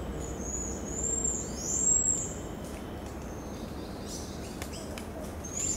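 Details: From the Brazilian Amazon, a pied tamarin gives a few high, drawn-out whistles that rise and fall early on, then one short whistle at the end, with soft clicks and steady ambient hiss between.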